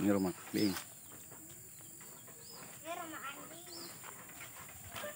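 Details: Goat calling near cattle and goat pens by a village house set amid a garden or forest; a short, wavering harmonic bleat rises and falls after a brief burst of speech, over steady high insect buzzing and faint bird chirps.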